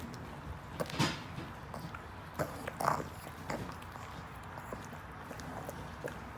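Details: A pug eating a treat: sharp crunching and smacking bursts near one, two and a half and three seconds, with a short wet snort, over a steady low hum.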